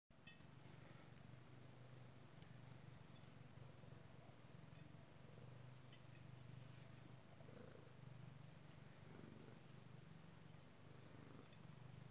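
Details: Pet cat purring while being scratched with a head scratcher: a steady, low rumbling purr continuing without break, with faint scratching clicks and small rustles above it.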